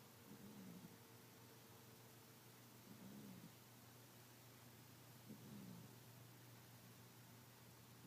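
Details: Sleeping cat named Mimi snoring, three soft low rasping breaths spaced about two and a half seconds apart, each with a slight rise and fall, beneath a constant low electrical hum and a faint tone early on.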